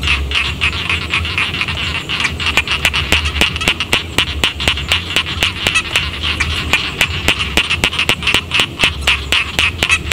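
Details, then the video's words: Paddy frogs near a village keep up a fast, clattering chorus of short croaks, closely spaced and overlapping, set against a steady low background hum. "suara kodok sawah"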